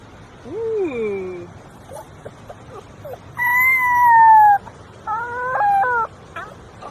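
An Australian Shepherd puppy gives thin, high howls that rise, hold, then waver and slide down.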